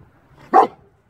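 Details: A single abrupt, loud bark from a mischievous six-month-old German Shepherd, short and punchy, rising out of near silence and ending quickly.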